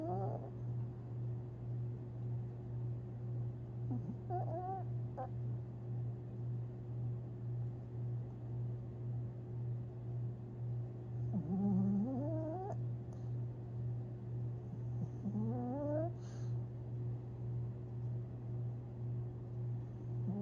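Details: A sleeping Long Haired Chihuahua named Tinkerbell dreams on April 17, 2021, letting out scattered thin whimpers that sweep upward in quick squeaky steps, with long quiet gaps and a constant low drone underneath.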